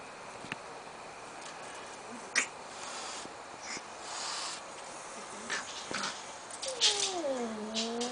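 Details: Indoor domestic cat with asthma, said to honk like a goose when mad, hissing at a new kitten: repeated short, breathy noise bursts, ending in a drawn-out wavering, falling tonal cry.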